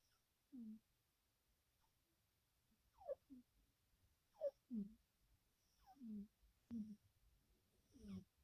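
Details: Two black domestic cats, a mother and her son, snoring together in deep sleep with twitching: short snuffling snorts, some sliding downward in pitch, come irregularly about once a second in a quiet room.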